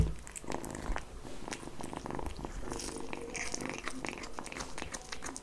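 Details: Kitten purring while eating, recorded close up indoors for ASMR: a steady low rumbling purr under dense wet chewing, licking and smacking clicks, with occasional soft bumps.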